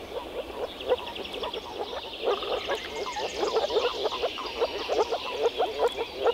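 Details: European frogs calling together in the Czech Republic: a dense chorus of short, low, knocking croaks repeated rapidly and overlapping, with fainter higher rattling notes above and no other clear sounds.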